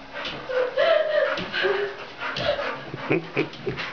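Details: Staffordshire Bull Terrier during ball training: a high, drawn-out whining note sliding slightly up then down, followed by a shorter lower whine and a few brief yips, with a man speaking and shuffling noises nearby.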